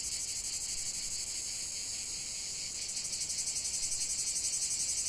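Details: Several cicadas singing together: a high, hissing drone that stays fairly flat at first, then grows louder near the third second and pulses quickly and regularly.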